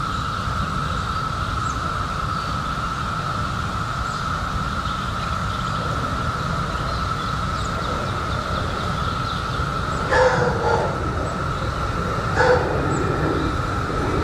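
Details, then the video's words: Cicadas emerged in 2021 after 17 years underground, massed into a steady droning chorus held at one even pitch throughout, over low rumbling background noise, with two brief broadband bursts near the end. "CICADAS 🌿 Sounds"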